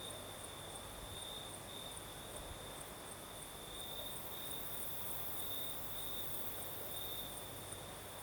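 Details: Southern Crimea at night: crickets trill steadily in a high, even tone with faint pulsing and a thinner upper trill, set against a constant soft wash of breeze.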